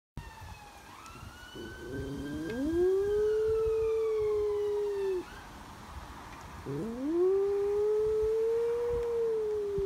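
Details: Brody, a little West Highland Terrier filmed September 22 in Nottingham, howls along with a passing ambulance siren: two long sustained tones, each rising quickly then holding steady for several seconds, with faint siren harmonics above.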